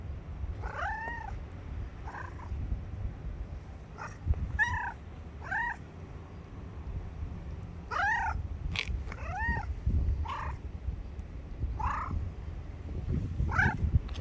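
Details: Grey cat giving a long series of repeated meows, each a short arched whine, some rising then dipping, spaced one to two seconds apart, with a steady low rumble underneath.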